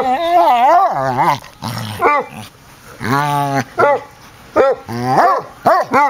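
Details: An eight-year-old male foster Basset Hound, rescued and newly arrived, plays with the household's basset at home: loud, bending howl-barks, some long and warbling, some short, in quick bursts.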